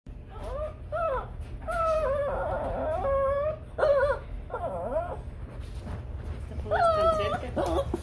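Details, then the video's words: A Shih Tzu cries for a cat in high, wavering whines, drawn out and repeated with short breaks. "🐶🐕 SHIH TZU CRYING 😭😭 FOR CAT 🐈😺😂😂"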